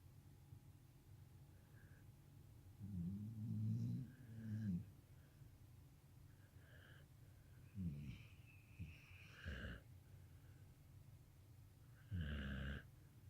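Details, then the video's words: Two dogs, Stella and Moose, snoring at rest indoors: soft, low rumbling snores in a few separate bursts, the longest lasting nearly two seconds, with quiet breathing gaps between them and a faint steady hum in the background. "Stella and Moose snoring"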